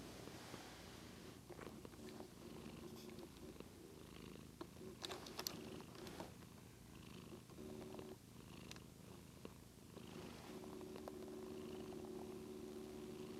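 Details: Pet cat Daisy purring indoors as she grows sleepy, a continuous low rumbling purr lasting over thirteen seconds, swelling slightly with each breath, with occasional faint taps and rustles in the room.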